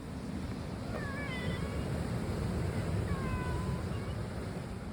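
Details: Cats, three of them black, in a group said to look like raccoon dogs: two thin, high harmonic meows around one and three seconds, rising then falling, over a loud steady low rumble like surf or wind.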